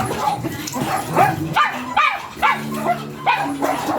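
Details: Small Pomeranian dog at a stud mating in Binalonan, Pangasinan, Philippines; short high yipping barks come in bursts roughly every second, with a whimpering edge, over background voices and faint music.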